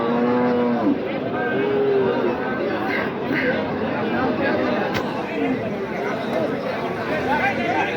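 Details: Cattle at Khochabari market in Thakurgaon, where deshi-breed dairy cows with calves are sold, March 2025: a low steady moo with a second rising moo, over dense crowd chatter and bargaining voices.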